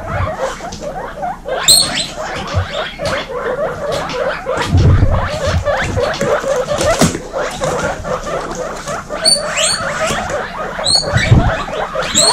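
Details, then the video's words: Young guinea pigs in a crowded baby pen give loud wheeks: brief piercing whistled squeals break out now and then, often in close pairs, above constant shuffling, nibbling and bedding noise, with dull low bumps. "Baby Guinea pig kindergarten ( warning: loud wheeking )"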